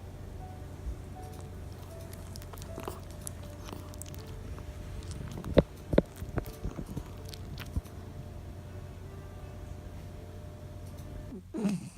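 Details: Quiet room hum with a low steady drone, faint soft music and a few scattered taps and clicks; no animal voice stands out.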